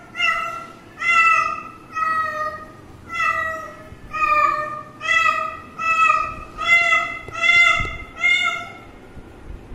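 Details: Kitten, filmed as it drinks water, gives a run of about nine short high meows with strong harmonic stacks, one roughly every second, steady and insistent.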